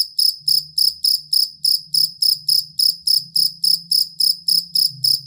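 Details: Shrill rhythmic chirps from a cricket, jangkrik kalung or jangkrik aduan, recorded to train songbirds: each chirp a rapid trilled burst, repeated about three times a second, over a steady faint low drone.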